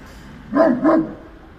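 A Great Dane gives two quick, full-throated barks about a third of a second apart over a quiet background.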